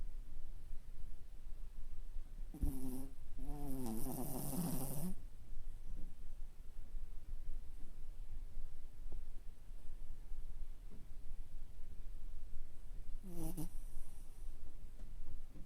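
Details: Toy Poodle asleep on its back with eyes rolled white, snoring: one long rasping snore with a buzzy, layered texture, then a quiet stretch and a single short snort near the end, over a low steady hum.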